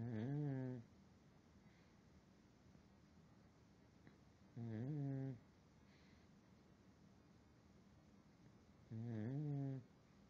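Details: A sleeping pug resting on a pillow at night snores three times, roughly every four and a half seconds. Each snore is a short, deep, rattling and nasal breath against a quiet indoor background.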